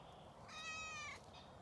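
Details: Domestic cat on a regenerative farm in County Kilkenny, Ireland, keeping company in an orchard while ewes are checked, meowing as a man talks to it: one clear, drawn-out tonal meow of about 0.7 seconds, steady then slightly falling, over faint outdoor background.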